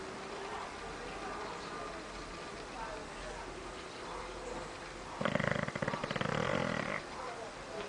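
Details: Snoring bulldog lying in a living room, one loud harsh buzzing snore lasting about two seconds after a quiet stretch of room hum, with its rough pulses tightly packed.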